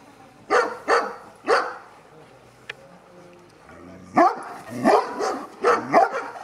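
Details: Two-and-a-half-year-old Sarplaninac in a courage test, barking hard: three deep, forceful barks in quick succession, a pause with a faint click, then a rapid run of five or six louder, rough barks.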